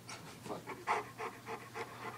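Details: Pet dog whose unusual bark is likened to a walrus, giving a rapid run of short, breathy, huffing pulses, about four per second for two seconds, in a quiet room.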